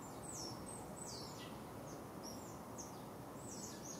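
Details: Wild nomadic family of smooth-coated otters in Singapore, two adults, one juvenile and six pups, on the morning of 6 July 2024 at 9.05am. High, thin descending chirps repeat irregularly over a steady low rumble of background noise.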